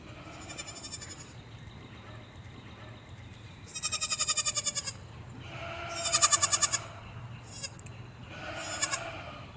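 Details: Young farm goats calling in trembling, pulsed bleats, one long loud bleat followed by several shorter ones at varying loudness.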